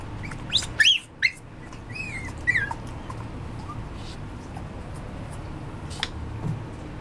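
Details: A Cavapoo, a Cavalier King Charles Spaniel and Toy Poodle mix, gives a few thin, high, wavering whimpers in two brief bursts, then falls quiet apart from a soft background hiss and occasional faint click.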